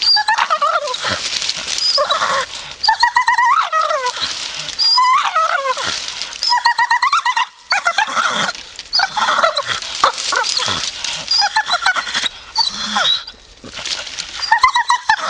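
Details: Staffordshire Bull Terrier in a grumpy mood, voicing long runs of warbling, whiny grumbles that swoop up and down, separated by brief silences, with occasional sharper yelps.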